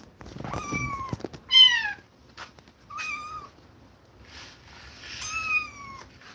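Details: Kittens separated from their mother after her repeated attacks, meowing in distress: several high, harmonic mews, some falling in pitch, spaced about a second or two apart, indoors.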